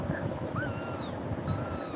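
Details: Frightened kitten crying after being scared by Tiger, then running to climb onto a person. Two long, high, tonal meows: the first rises then holds steady, the second starts near the end. A soft low rumble runs underneath.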